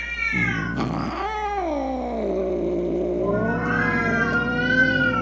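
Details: Angry domestic cat yowling to frighten away rats, opossums and other cats: a long sliding caterwaul that dips low mid-call then climbs to a higher, tense wail, with a constant low hum behind it.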